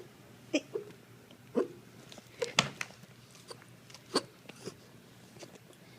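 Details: Gizmo, a 4-year-old purebred Tibetan Spaniel, hiccuping indoors: short, sharp, jerky bursts recurring roughly once a second, each a brief click-like hitch, with a faint human voice in the background.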